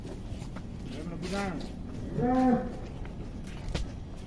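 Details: Young giant cow of Atta Halilintar, recorded in 2022, lets out two short, low moos about a second apart, the second stronger and steadier, over a murmuring background of people and stable noise.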